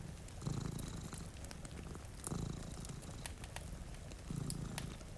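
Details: A deep, continuous purr from two dozing domestic cats by a rainy window swells three times in an even breathing rhythm, accompanied by soft rain and snapping fireplace crackles.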